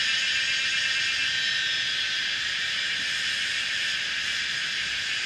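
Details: A noisy evening chorus of Kaempfer's cicadas at 17:30 on 19 May 2016, mountainside bend of old Route 106, Pinghe Village, Pingtung County, Taiwan; an unbroken hissing, high-pitched buzz with rapid fluttering pulses, recorded on a Canon PowerShot SX700 HS.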